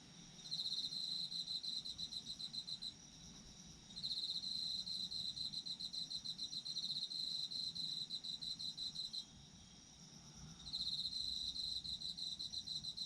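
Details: Autumn insects trill loudly in pulsed bursts of about three to five seconds, pausing briefly between, layered over a constant high-pitched insect hum in a calm outdoor setting.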